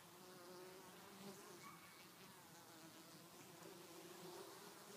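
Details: Winter foraging honey bees coming back with pollen in January: a continuous droning wing hum with low tonal bands, swelling slightly as individual bees fly by.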